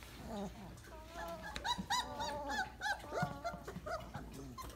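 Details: Weimaraner puppies at day 28, heaped in a post-breakfast nap pile, let out rapid bursts of high, wobbling whimpers and yelps from several pups at once, squeals climbing and falling over soft background grunts.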